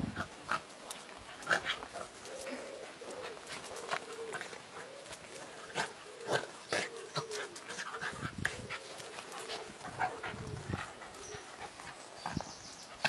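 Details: Playing dogs at a dog hotel, including a dachshund, heard in busy scuffles with breathy puffs, sharp taps and clicks, and a short low whining tone in the middle, over steady room noise.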